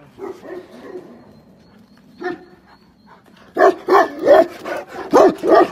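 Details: Tibetan Mastiff giving deep, harsh barks: a few muffled woofs at first, a single bark near the middle, then a loud run of six rapid, rough barks close together near the end.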